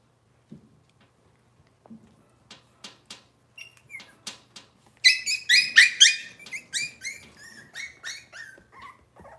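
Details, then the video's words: Robin's litter of Cavalier King Charles Spaniel puppies indoors on a kitchen camera: soft ticks and scuffles first, then a burst of rapid, shrill overlapping squeals from about five seconds that trail off into thinner whimpers. "Cavalier Puppy Live Stream: Robin's Puppies"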